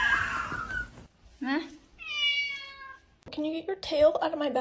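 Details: Indoor kitten meowing: a short rising note, then a drawn-out, steady, harmonic-rich meow of about a second, with people talking before and after.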